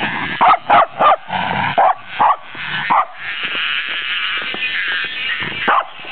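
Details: Welsh Corgi, frightened by a cicada, barking indoors: sharp repeated barks about twice a second for three seconds, then a steady high buzzing of the cicada with a single later bark.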